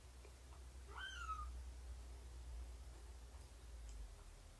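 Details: Indoor cat during a morning nursing and play session on 24 September 2017, with rescued mother cat Shelby and her roughly three-month-old kittens. A single drawn-out meow that rises, then slowly falls and fades, over a steady low hum.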